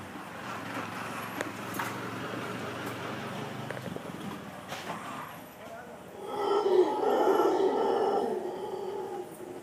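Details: A howler monkey in the Costa Rican jungle lets out a deep, rasping roar that swells up after a stretch of rumbling background noise.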